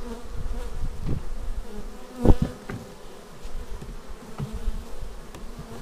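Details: Bees landing at the hive entrance, recorded with a Xiaomi Yi action camera: a deep, even buzz with one loud close pass partway through and scattered soft knocks.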